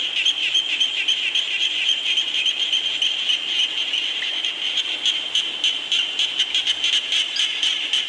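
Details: Frogs calling in the rain, in a nature recording meant to lull listeners to sleep: a dense, high-pitched chorus of pulsing croaks, about three to four pulses a second, over a steady hissing wash of rain.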